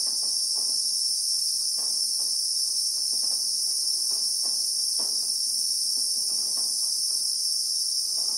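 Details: Steady shrilling of Christmas beetles (Anoplognathus) in South African bushveld, recorded in real time, a constant high buzzing sheet of sound with light tapping and rustling noises scattered underneath.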